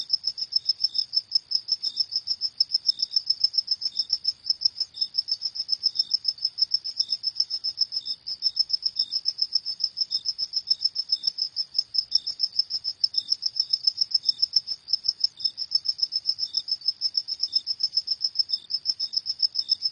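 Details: Continuous high cricket chirping after dark, pulses coming quickly and evenly for the whole stretch, a weaker lower chirp recurring every second or so, in otherwise still surroundings.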